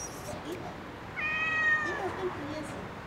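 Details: A single clear, drawn-out meow from a park cat calling up toward a balcony as it begs for food, over quiet outdoor background noise.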